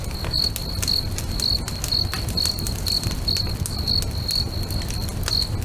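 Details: Crickets singing beside a crackling bonfire next to a lake at sunset: steady high, pure chirps repeated about twice a second, over popping fire crackles and a low rumbling hum.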